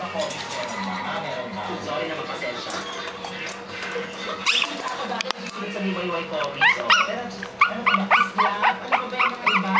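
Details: Four-week-old Shih Tzu puppies giving short, high squeaky whines that rise and fall, repeated rapidly through the last few seconds, while a person talks steadily in the background.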